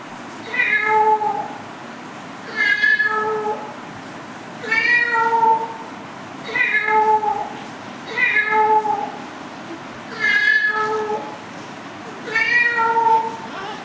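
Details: Domestic cat meowing steadily, drawn-out nasal meows with rich harmonics, one roughly every two seconds, seven in a row, over a faint room hiss.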